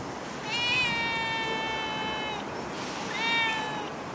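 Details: Stray cat in Singapore; a long drawn-out meow lasting nearly two seconds, then a shorter second meow, over steady background hiss.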